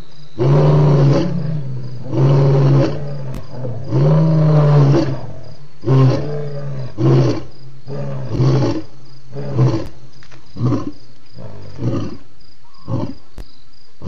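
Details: ['Lion roaring at Djuma waterhole, 28 October 2016: a series of deep, resonant grunts, long at first then shortening and fading into brief closing grunts.']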